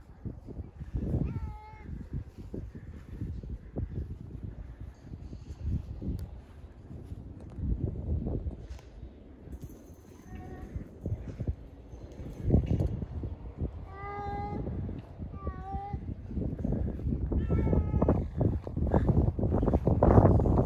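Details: Cat at a kennel cat fence giving several short, tonal meows with rich overtones, each bending up then down, spread across the recording. Heavy low rumbling and handling noise runs throughout.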